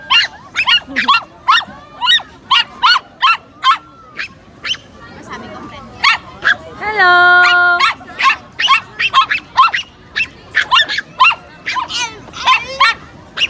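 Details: Pomeranian meeting a new friend, yapping in rapid, sharp, high-pitched barks, roughly two per second, broken by a brief steady whining tone midway before the excited yaps resume.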